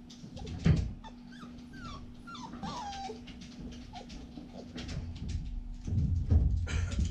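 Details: Siberian Husky puppy playing in a pen: a few soft, squeaky whimpers that slide up and down early on, among thumps and rustling from its play, over a steady low hum.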